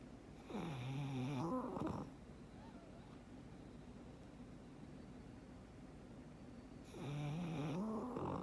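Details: Black pug Frank snoring in a contented sleep, two long, loud snores with a low growling buzz that wavers and climbs in pitch, separated by about five seconds of near-silent breathing indoors.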